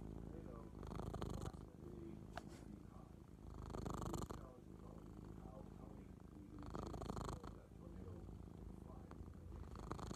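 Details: Male pet cat purring very loudly indoors; a deep, continuous low rumble that swells in waves about every three seconds with each breath, close to the microphone.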